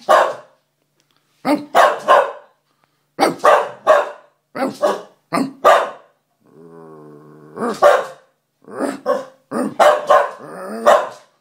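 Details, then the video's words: Sooty, a Scottish Terrier, barking in rapid bursts of two to four sharp barks separated by short pauses, with a brief low tonal whine in the middle of the sequence. "Sooty Barking"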